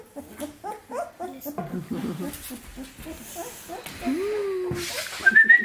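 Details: Samoyed puppies, 17 days old, giving rapid high squeaky whimpers and short squeals at an irregular pace, with a thin rising whistle-like tone near the end and soft background noise.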